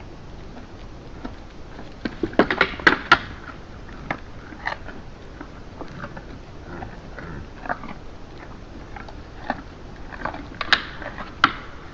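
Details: Crunching and chewing clicks with no animal calls.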